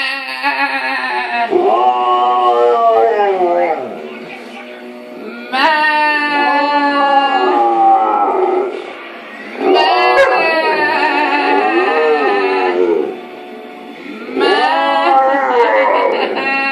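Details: A male Alaskan Malamute howls along with his owner singing, in long, wavering, rising and falling bouts of a few seconds each.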